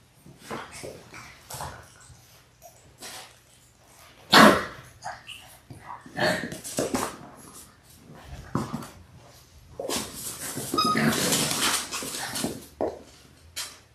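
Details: Litter of six Labrador Retriever puppies in their sixth week, born January 18, 2022, filmed indoors; bursts of yelping and small barks, a loud sharp cry early on and a noisy scuffling stretch near the end.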